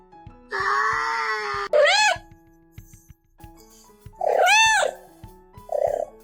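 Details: Orange house cat arguing with its owner, letting out drawn-out wailing meows that rise and fall in pitch, several loud yowls separated by brief pauses, with a steady low background hum indoors.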